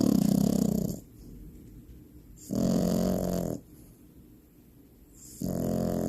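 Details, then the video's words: Finn, a Frenchie puppy in deep sleep, gives loud, buzzing, low snores about a second long, three of them spaced roughly every two and a half seconds, with near-silent pauses between. "FINN THE FRENCHIE PUPPY DEEP SLEEP SNORING LOUDLY"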